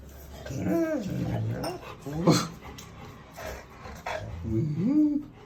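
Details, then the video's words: Female Rottweiler making one of her many odd vocal sounds: drawn-out, moaning whines that rise and fall in pitch, one near the start and another toward the end, with a person speaking softly in between. "That weird sound she has many"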